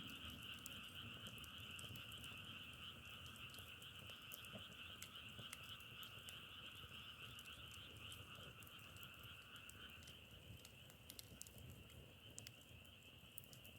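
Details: Dense frog chorus holds a constant trilling drone on two pitches, fading somewhat near the end, while firewood crackles with sharp, irregular snaps throughout.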